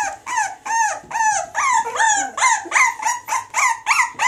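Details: Springer Spaniel x Jack Russell crossbreed, born of a Springer Spaniel mother and Jack Russell father, whining in a steady series of arched, rising-then-falling high cries, nearly three each second.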